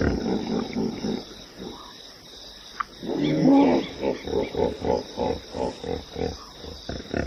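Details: Hippopotamus in a loud groaning burst, followed by a steady run of rhythmic pulsed honks, about three to four each second, fading toward the end.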